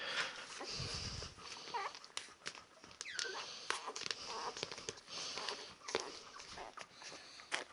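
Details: Ten-day-old Labrador Retriever puppies give brief, high, squeaky whines that bend up and down, scattered among frequent sharp clicks, shuffling and rustling noises.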